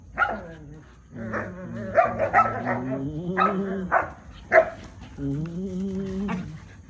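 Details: Belgian Malinois play-fighting and biting, two dogs against one, give drawn-out, wavering whines and grumbling yowls in a rising and falling series.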